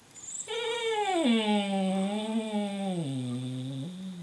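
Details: Indoors, a single long moaning dog howl as Louie watches Mishka talking-dog videos: it starts mid-pitch, drops, holds low and steady, then dips lower before rising slightly at the end.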